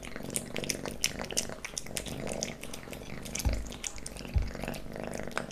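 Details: Domestic kitten Leo eating wet cat food and treats, close ASMR recording; smacking lick sounds and a purring drone, with two soft low thuds near the end.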